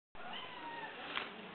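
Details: Kitten Ginger, a female pet cat, meows while playing fetch, asking for her ball to be thrown: a single drawn-out, slightly rising then falling mewing note, with a person's praise following.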